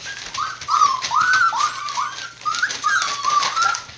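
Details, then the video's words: Border Collie puppies from a Kagoshima breeder, about six weeks old, give a steady string of thin whining cries, each a short downward-curving whimper, repeated roughly twice a second with little pause. "ボーダーコリー 子犬達"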